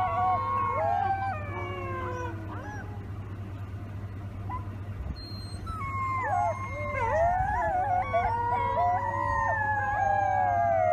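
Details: Several wolf pups howl together in overlapping, wavering notes that glide up and down, the chorus thickening in the second half over a steady low electrical hum.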